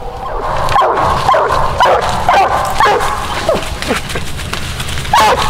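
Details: Coonhound Widow Maker, daughter of two-time world champion Grays Rack Em Willy, barking during a coon hunt: sharp barks at roughly half-second to one-second intervals, each with a brief downward sweep, over low outdoor rumble.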